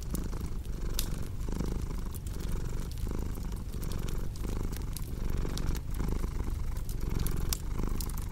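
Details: Domestic cat purring as a steady low rumble, pulsing with each breath about every second, paired with the cozy crackle of a fireplace: sharp pops and snaps scattered above the purr, arranged as a relaxing sleep soundscape.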